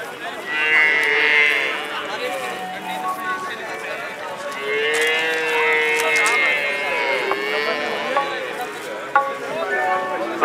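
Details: Holstein Friesian and Jersey calves at a national competition ring in Patiala, Punjab, with several overlapping bawling moos of varying pitch across ten seconds amid crowd noise and faint voices.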